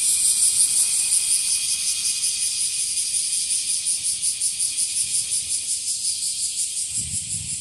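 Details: Bear cicada (Cryptotympana facialis) sings a loud, harsh, high-pitched buzz throbbing in quick, regular pulses; singing in trees and grass as the species increases in numbers, seemingly small individuals.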